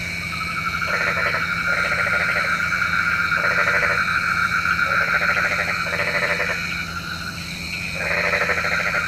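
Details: Frogs calling at night, a sound said to call the rain; a dense, buzzy croaking chorus in repeated pulsed bursts about every second, with a steady trilling background chorus throughout.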